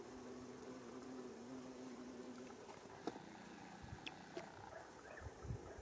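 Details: Female bumblebee (Bombus diversus diversus) taking off from white Japanese fairy bells flowers along a mountain path in Japan, mid-May 2018, while feeding on nectar, filmed in 8x slow motion; a steady low hum lasts about two and a half seconds, then fades among scattered clicks.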